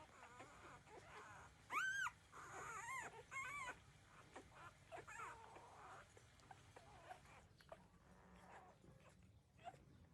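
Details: Newborn puppies, 13 days old, nursing from their mother. Short, high, arched whimpering squeals near two seconds and again between three and four seconds, followed by softer scattered whines and quiet suckling noises.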